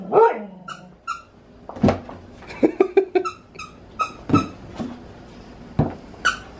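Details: Siberian Husky fighting a balloon, giving short sharp barks and yips in irregular bursts, with quick clicking sounds between the calls.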